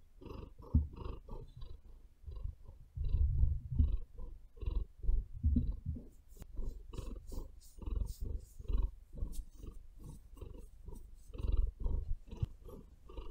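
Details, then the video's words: Pet female cat on a bed giving a deep, rhythmic purr, throbbing pulses repeated about twice per second, with brief crackling claw sounds as she kneads the bedding, most noticeable in the second half. "Cat Purring"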